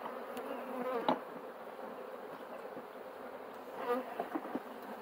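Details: Bees humming at a hive during beekeeping work while a smoker is in use: a continuous low buzzing drone broken by several sharp clicks and knocks.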